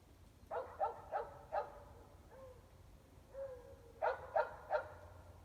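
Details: At night in Emmett, Idaho, dogs about 400 feet away, all but one indoors, bark loudly; a quick series of four barks, a short whine, then three more barks over a faint hum.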